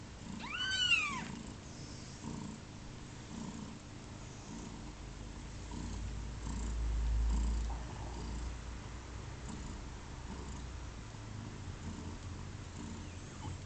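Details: Pluma's kittens on their second day of life, just over 30 hours old. A single thin, high, arched mew opens, followed by a long stretch of faint low purring pulses and a soft rumbling swell.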